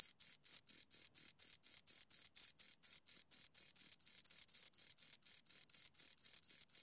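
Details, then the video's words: Bright, high chirping from two crickets pulses steadily at about four beats per second, highly regular and uninterrupted, with nothing else audible. "Two Crickets Chirp Sounds"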